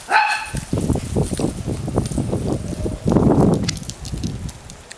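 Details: Play-fight bark from a ten-month-old Italian Greyhound, Mischa, among other dogs: a high yelping bark opens, low scuffling and growly noise follows, then a louder bark burst at three seconds while a person calls out dog names.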